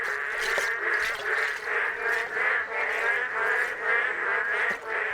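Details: Male boreal digging frogs in Misari Park, South Korea, chorus in new puddles on dried ground, giving short, nasal, duck-like quacking notes over and over in a throbbing din to call females; some already paired.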